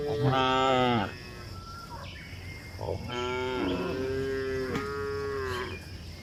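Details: Cows moving along a hill, lowing in long rich harmonic moos: a strong call that falls at the end, then a pause, then a second drawn-out moo lasting nearly three seconds with overlapping voices.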